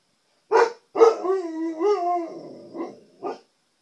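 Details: Indoor Siberian Husky reacting to his reflection in a television: two short barks lead into a drawn-out wavering, rising-and-falling howl-like yodel, ending with two brief woofs.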